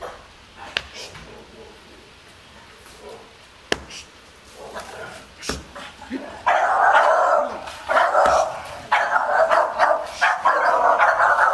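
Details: Staffordshire Bull Terrier guarding its garden as an unmasked stranger approaches; quiet start with a few knocks, then from about six seconds a run of loud, broad barks in close bursts until the end.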